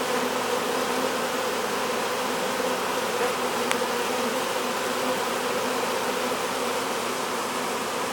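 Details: Honey bees from a swarm pouring into a hive while being hived, heard as a constant, droning buzz with steady low tones and one faint click midway.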